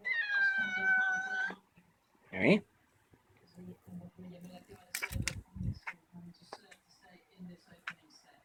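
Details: Bobbeh, a pet cat chasing a cicada at night, opens with a long steady harmonic meow, followed by scattered clicks, thumps and a low intermittent cicada buzz in a small room.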